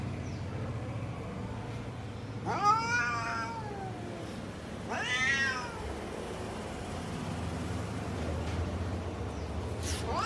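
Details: Garden cats, among them a lion cat, a tall cat and a short cat, utter two clear arched meows a few seconds apart, with a constant low rumble of vehicles behind and a brief start of another call at the end.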